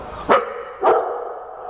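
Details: Big dogs barking as a greeting: two loud, sharp barks about half a second apart against a quiet room background.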